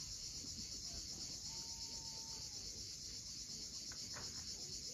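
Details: Cicadas at sunset on the steep coast of Cape Fiolent, Crimea: a dense, unbroken high-pitched hiss that holds steady throughout, with a faint, brief whistled tone from a bird in the middle.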